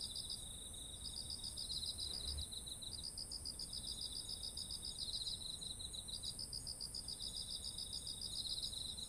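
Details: Insect chorus in autumn next to rice fields heavy with ripe grain, captured with a ZOOM H1essential: quick bead-like chirps repeating in trains broken by short pauses, layered with a constant shrill trill high above and faint low rumble.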